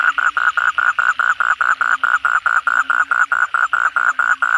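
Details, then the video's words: Asian common toads (kodok bangkong) calling after heavy night rain: loud, regular pulsed croaks, about two to three per second, each short and buzzy, forming an unbroken rhythmic train. "suara kodok bangkong pada gacor setelah hujan lebat malam hari"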